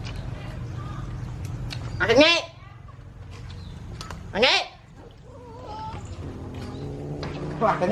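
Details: Orange bobtail cat crouching and sniffing around an outdoor patio floor gives two drawn-out wavering meows, rising then falling, about two seconds apart, over steady low hum and people talking in Khmer.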